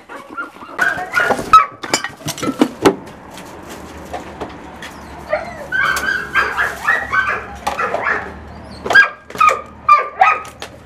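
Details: German Shorthaired Pointer (kurzhaar) at a fox-retrieving exercise over a hurdle: bursts of high, tonal whining and short yelps come in clusters, with quieter gaps between them.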